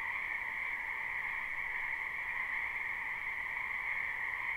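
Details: A spring wetland full of frogs croaking together, captured live. Overlapping high-pitched trills blend into a constant, even shimmer that holds at the same level throughout, with no gaps and nothing else audible.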